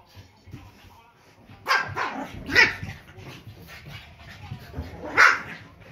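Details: Pekingese pair Peko, aged one, and young Poco bark at a squeaky toy indoors, October 2018: three loud, abrupt yaps spaced a second or more apart over low household murmur and faint talking.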